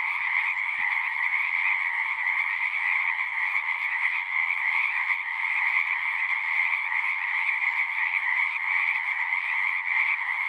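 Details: A continuous frog chorus: countless overlapping croaks blend into an even, shimmering drone with two stacked pitch bands. Loudness holds level the whole time, and no other sounds stand out.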